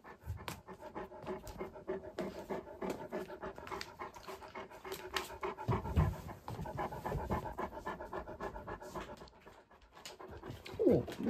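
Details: Great Pyrenees Alain, male, indoors in Mother's room investigating the white dog in the mirror that is himself; long stretch of continuous rapid panting with a few brief thumps and a louder burst near the close.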